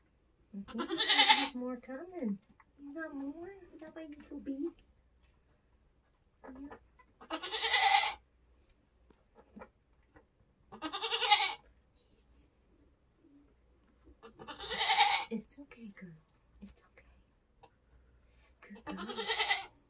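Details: During kidding season on a homestead, a Nigerian Dwarf goat in labour repeats loud, bleating cries every three to four seconds. Soft human voices murmur in the pauses.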